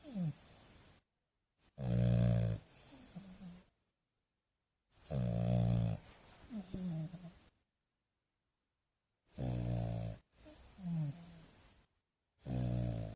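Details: A young male French Bulldog, a calm pet that rarely barks and sleeps nearly all day, snores in deep, rumbling bursts of one to two seconds between short quiet pauses.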